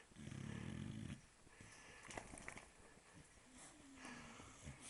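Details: Dog snoring in its sleep: a single low, buzzing snore lasts under a second, followed by softer wheezy breaths and light background rustling.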